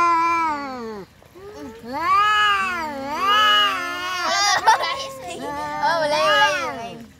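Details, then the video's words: Domestic cats fighting: long, wavering, harmonic yowls that rise and fall in drawn-out arcs, a brief gap near one second, then several swelling howls in succession with a sharp scuffle burst midway. "kucing berantem"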